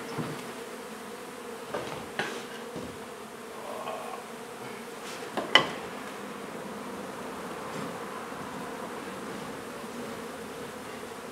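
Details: Honey bees from a nuisance hive being removed and relocated from an old home under renovation in Donna, Texas; a steady, low droning hum runs throughout, broken by a few sharp knocks and clicks of the removal work.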